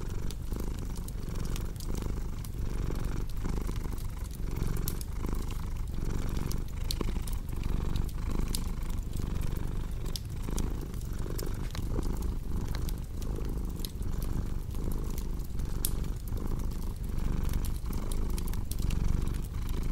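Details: Low, rhythmic purring from a cat, breathing in and out in even cycles for twenty seconds, with fireplace crackles ticking throughout.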